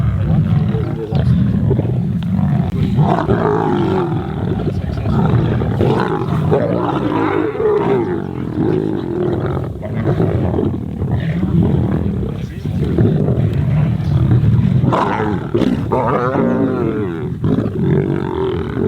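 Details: Wild lions of a pride squabbling while feeding on a stolen impala carcass in open grassland: continuous deep, rumbling growls and snarls rising and falling in intensity, with a man's voice talking over parts of it.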